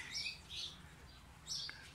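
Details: Improved guinea pigs of the Peru, Inti, Andina and Inka lines on a breeding farm, giving short high squeaky chirps in bursts, three separate squeals in quick succession.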